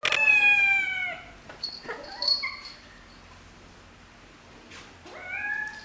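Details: Cats and kittens meowing: a long, loud, descending meow opens, a few short chirping calls follow in the middle, then a rising-and-falling meow near the end, with quiet between calls.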